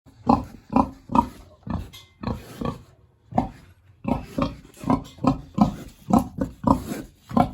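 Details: Hungry big domestic pig kept in a village pig house on a warm autumn day, giving short, broad grunts in quick bursts, roughly two per second, with a brief pause midway, then a steady run of grunts to the end.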